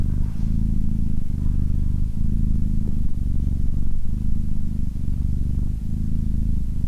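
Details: Cat's purr, a low vibrating rumble repeating in even breath-length cycles of roughly three-quarters of a second, clean and continuous with no other sounds.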